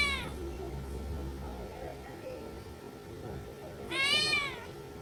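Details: One clear, bright meow from a kitten at Reebonz Cattery near the end, after a clipped meow at the very start, over a steady background hiss and faint low rumble.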